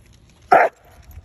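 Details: One of two basset hounds, Winston and Graham, out on a neighborhood walk, gives a single short, sharp bark. It is loud and lasts about a fifth of a second against a quiet background.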